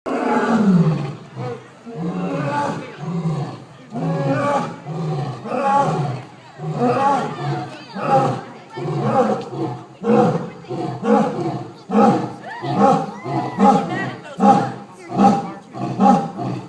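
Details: A female and a male lion at a zoo roar in a deep series of heavy, throaty grunts that come faster and shorter toward the end.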